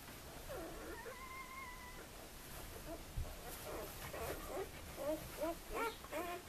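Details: Two-day-old puppies of the Sweet/Elite litter at Le Domaine des Pertins whimper and squeak in short, wavering high cries, scattered and overlapping, with a steady whistled tone early on and faint background hiss.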